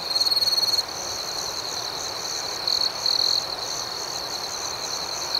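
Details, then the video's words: Crickets singing at night outdoors, a bright, loud chirping burst opens, then a steady high trill continues with rapid pulses, interrupted by two more brief louder chirp runs midway and at the close. "Soothing Cricket Sounds"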